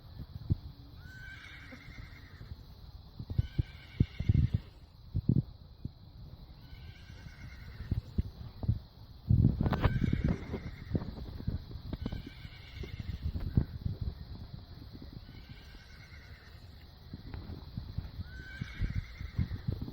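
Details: A grazing horse gives short, harmonic neighs again and again over heavy thumping and low rumbling.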